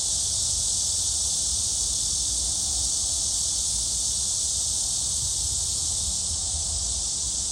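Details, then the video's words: Steady shrill cicada drone at Gwangalli Beach, among dragonflies, a bright hissing buzz without pause, carrying a faint fast pulsing texture, with soft low background noise beneath. "잠자리와 매미소리"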